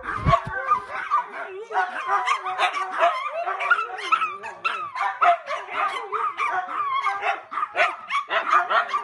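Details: Household dogs clamour together while their owner tries to relax in front of the TV: dense, overlapping high yips and barks layered over sliding, warbling whine-like tones, with a few low thumps at the start.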